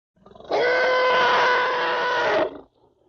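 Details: African elephant. An African elephant calf lets out a single loud call, a rich, brassy tone held level for about two seconds. It starts abruptly after a few soft breathy rumbles and cuts off cleanly, leaving near silence.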